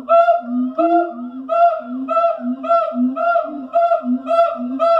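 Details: Siamang calling at the Columbus zoo in the morning: a steady run of loud, honking bark notes repeated about twice a second, ringing and regular, with a second voice adding lower notes.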